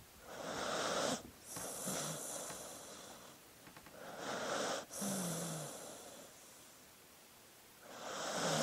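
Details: Dog asleep, breathing noisily: airy whooshing breaths in slow cycles about every three to four seconds, with faint low snuffling rasps under some inhales.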